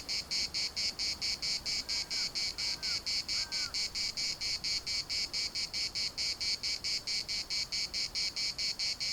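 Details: Larnaca municipal park cicadas keep up a piercing, buzzy, rhythmic throb of rapid even pulses, while a few faint, short, higher calls slip through briefly early on beneath the dominant insect chorus.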